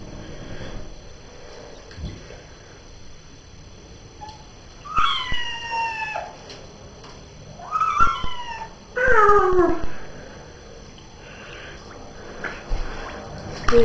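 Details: Pet cat meowing during a bath, three loud harmonic meows, each falling in pitch, spaced about two seconds apart midway through, with quiet bathroom background and occasional splashes.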